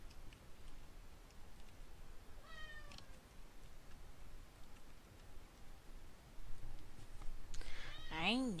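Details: Male pet domestic cat yelling indoors while its owner draws: a short harmonic meow early on, then a louder, wavering, drawn-out meow at the end, over quiet room hum.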